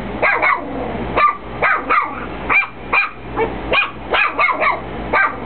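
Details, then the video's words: Chihuahua barking at nothing, a run of short sharp yapping barks in quick bursts, about a dozen over a few seconds, with a steady low hum underneath. "Chihuahua barking"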